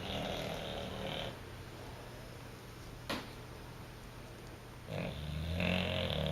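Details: Bluto the Bulldog sleeping and dreaming on a couch indoors: two snoring breaths, a rough rumbling inhale at the start and another near the end, separated by a quiet pause with a single faint click.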